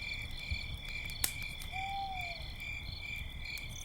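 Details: At night by a campfire, crickets trill steadily and high in several overlapping pitches, with one short, falling whistled note midway, a sharp crackle of fire, a low rumble beneath, and a few owls.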